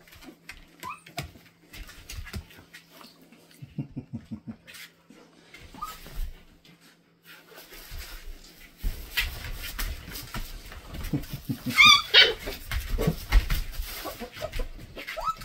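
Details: Mother Belgian Malinois playing rough with her pups indoors in a nursery: scattered high whimpers and squeals, a burst of sharp rising whines near the end, with scuffling, thumps and low rumbles throughout.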